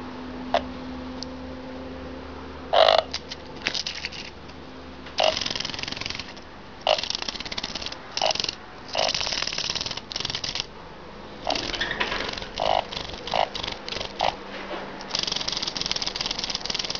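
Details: An emperor cicada (Pomponia imperatoria) calls with loud, harsh buzzing bursts that start and stop in uneven pulses.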